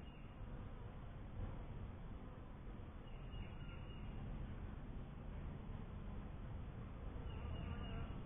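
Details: Honey bees from a first hive: a steady, dense low hum of buzzing fills the whole stretch without pause, with faint thin higher tones surfacing briefly around the middle and again near the end.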